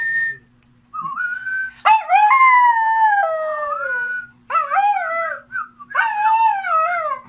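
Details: A dog singing in long tonal howls: a short whistle-like note first, then wavering, sliding howls that rise and fall, pausing between phrases, with a low steady hum underneath.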